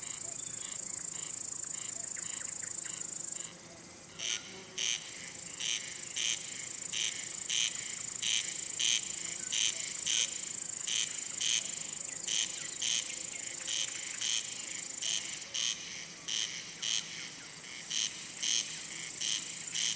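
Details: Male crickets chirping, a sound made by rubbing the wings to attract or court females or scare off rival males; short bright pulses repeat about every half second over a steady high insect hiss. A brief dip in the background comes early on.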